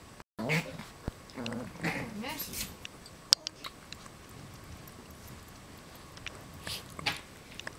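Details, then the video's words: West Highland White Terriers, puppies wrestling and playing with their parents indoors: a few short, harmonic whines and yips cluster in the first three seconds, followed by quieter scuffling, sharp clicks and soft thumps from the play. "Westie Puppies Wrestle and Play with Parents"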